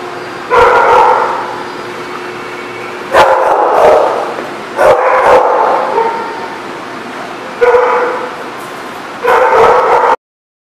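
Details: Dog barking in five loud bursts of overlapping, harsh barks, each lasting about a second, separated by short pauses, recorded on 21 May 2018.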